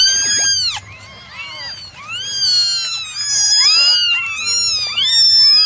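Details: Nine young domestic cats meowing through a morning drying routine; a near-continuous chorus of high, sweeping, arched cries from several kittens at once, with a low hum audible in quieter moments.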